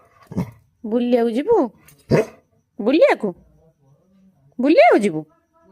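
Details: Labrador dog eager to go for a scooter ride: three drawn-out whining howls that rise and fall, with a short sharp yelp between them and a person speaking nearby.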